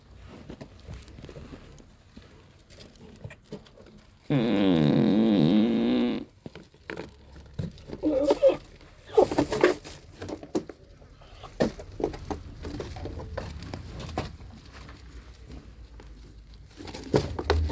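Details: A goat eating corn gives a single strong, nasal bleat of about two seconds that wavers slightly in pitch, amid quiet crunching, munching and rustling.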